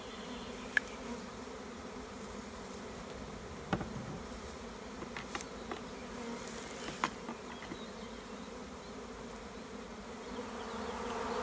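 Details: Large swarm of honey bees being removed from a tree by a beekeeper in the Tuscan Maremma countryside, Italy; a steady low droning hum fills the scene, with scattered sharp clicks and taps over it.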